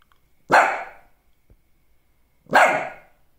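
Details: Lhasa Apso barking twice, each bark a harsh, loud burst that fades quickly, spaced about two seconds apart with near-silence between them.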